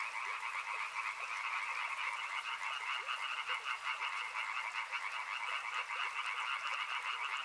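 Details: A river frog chorus: many overlapping croaking voices merge into a continuous rattling buzz, mid and high pitched, with slight swells in loudness and scattered soft ticks in the background.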